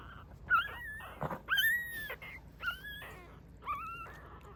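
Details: Mame Shiba whimpering in four or five drawn-out, nasal whines, each bending upward then sagging, about one per second, with a soft breathy snort between calls.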